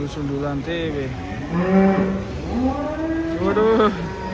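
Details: Indonesian cattle coming off a truck let out a series of overlapping moos, rising and falling in pitch, one animal answering another, with steady background noise.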